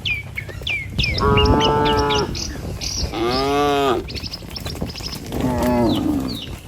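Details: Dozens of tame cattle herded across a river bridge on a village morning walk to the fields; three drawn-out, tonal moos rise and fall over about a second each, while small birds chirp steadily in the background.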